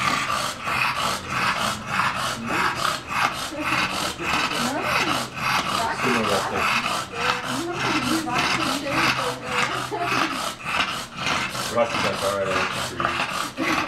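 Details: Two English Bulldog x Bull Terrier cross dogs playing; fast rhythmic huffing pants and grumbling growls nearly twice a second, with wavering whines and a human voice briefly in the background.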